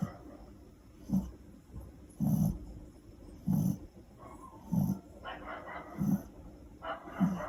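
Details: Female Shih Tzu puppy, about two to five months old, snoring loudly while asleep at home; low rasping snores repeat roughly every 1.2 seconds, with soft breathy sounds between them.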